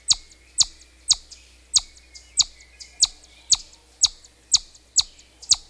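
A chipmunk gives sharp, high chips, about two each second, in a steady, insistent series.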